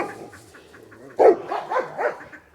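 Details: Farm dogs rushing over to investigate, one sharp bark followed by short yelping, whining barks, amid soft background chatter and ambient noise.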